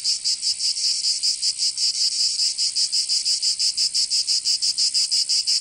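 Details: Provençal summer cicadas produce a piercing, grating buzz broken into rapid throbs close to three per second, somewhat uneven in spacing, with a quiet background.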